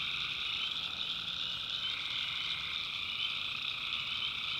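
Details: Swamp at night in North Carolina, where massed tree frogs keep up a constant, piercing trilled chorus, several pitches layered and slightly shifting.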